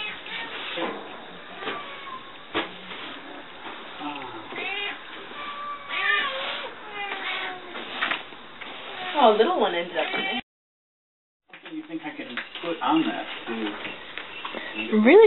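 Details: Rescued cats and kittens from Fukushima, Japan, newly arrived at Japan Cat Network and playing with a toy indoors; several rising-falling meows stand out late in the recording over steady conversation, with a brief silent dropout near the end.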